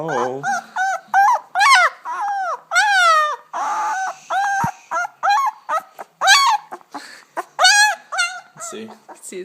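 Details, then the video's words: German Shepherd puppy two weeks old, one of ten born in August 2012 in Chestermere, Alberta, crying with a rapid series of high, wavering whines and yelps, each short and sliding in pitch, repeated many times with brief gaps. "2 week old German Shepherd puppy"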